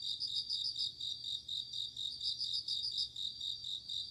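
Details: Bell crickets calling at night in autumn, sharp tinkling pulses grouped into quick ringing phrases about twice per second, with an unbroken high insect hum beneath.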